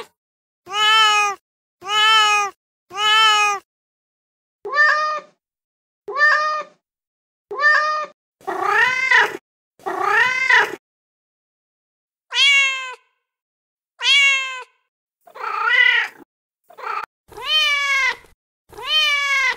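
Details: Male cat in heat meowing persistently, about fifteen meows of varied length and pitch, some short and clipped, others longer, rougher and more insistent, in a quiet background.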